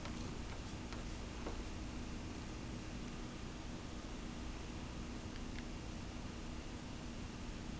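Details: A cat named Caramel purring steadily, a dense low rumble that holds without a break, with a few faint ticks and a soft constant hiss behind it.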